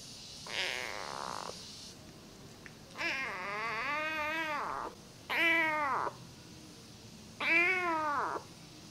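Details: Namba, a rescued one-eyed feral kitten, calls in a run of four meows, the later ones arched and rich in harmonics, rising then falling, each lasting about a second with short pauses between.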